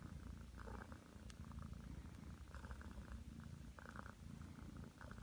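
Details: Nine-month-old Ragdoll cat purring while kneading beside its owner lying on a bed; a steady, deep rumbling purr continues throughout, with faint scratchy ticks and soft rustling on top.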